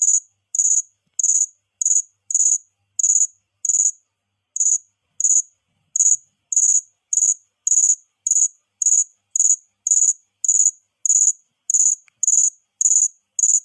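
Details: A cricket makes a sound: short, high, shrill chirps repeated roughly twice per second, about twenty in a row, with a brief gap near the start. The background is otherwise silent.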